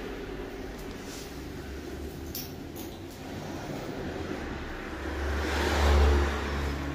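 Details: Car engine noise rises and falls outdoors, revving louder around the sixth second, with a few faint squeaks; no animal call is heard.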